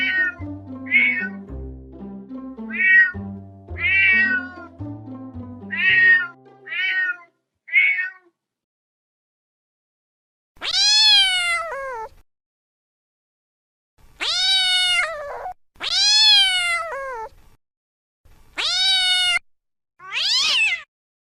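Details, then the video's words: Domestic cat mewing, first a quick series of short mews over background music, then, after the music stops, five or six clear, loud, descending meows alone, each separated by a second or two of silence. "EFEK SUARA KUCING|CAT SOUND EFFECT"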